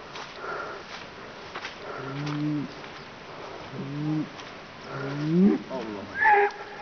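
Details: Bull at a Kaçkar highland pasture (yayla) giving low, droning bellows, two steady ones then a louder bending call, with other brief higher sounds near the end.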